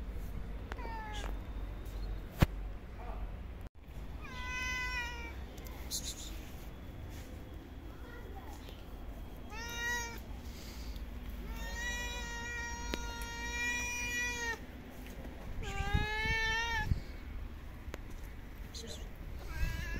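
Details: Female stray cat living on the street, running to a person and climbing into her lap, gives a series of drawn-out, harmonic meows, some short and one long held cry, over a steady low rumble with faint clicks.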